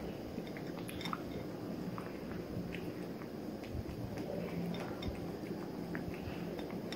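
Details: A Maine Coon Persian mix kitten named Kosey, three months old, chews his food with a steady run of quiet moist crunches and squishy bites. A faint room hum stays underneath throughout.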